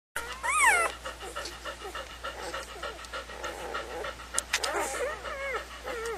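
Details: Several puppies whimper and squeal, with a loud rising-and-falling harmonic whine near the start, then overlapping shorter wavering squeaks and soft cries throughout.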